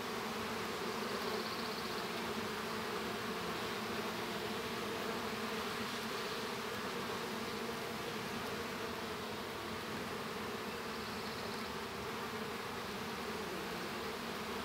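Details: Honey bees inside an open hive as a young bee hatches: a dense, steady buzzing drone with low humming bands and a faint hiss above, unbroken throughout and slightly swelling and fading in places.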